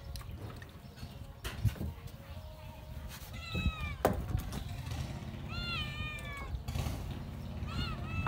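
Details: Playful pet kitten with a girl, giving three thin high-pitched mews, each sliding downward, spaced a couple of seconds apart, over low rumbling room noise and occasional knocks.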